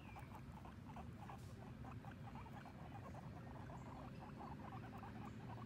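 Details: Sheik and Penny, a pair of guinea pigs outdoors for the first time while grazing on grass, give a dense run of quick chirpy squeaks, many per second, against constant low wind rumble.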